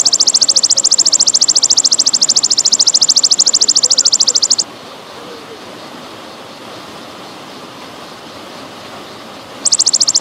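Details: Golden grasshopper, pausing style, used as songbird training sound with trickling water: a bright rapid-pulsed high buzz runs about four and a half seconds, breaks into five seconds of quiet hiss, then starts again.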